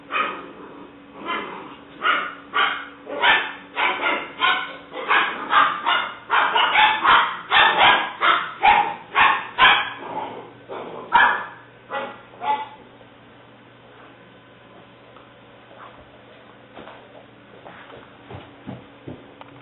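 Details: Alice, a female black and white tricolor English Springer Spaniel puppy aged seven weeks, filmed 5/17/09, gives a rapid run of high, yappy barks about twice a second for twelve seconds, then falls mostly quiet with faint scattered sounds.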